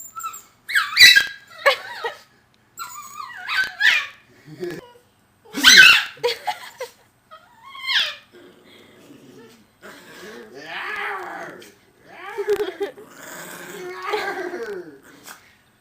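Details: Pet puppy reacting to people sneezing: sharp sneeze bursts early on, then drawn-out, wavering whines and howls rising and falling in long harmonic tones through the second half.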